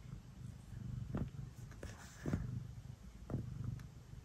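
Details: House cat kneading and purring at bedtime. A quiet, low rumbling purr with three louder surges about a second apart, each accompanied by a brief scratchy rustle.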